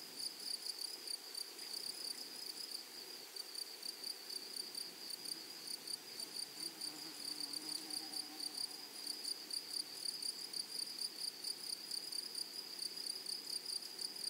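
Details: Flowery meadow chorus of grasshoppers: a constant high, sizzling buzz broken into rapid regular pulses, with a fainter shrill overtone and occasional soft low sounds beneath.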